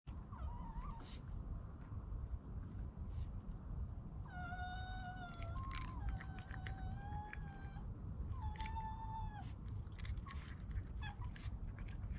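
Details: Baby red fox, a so-called city fox living in a residential area in Ireland, giving thin, whistled whines with a slight fall, in short bursts of about one second, over steady low background rumble.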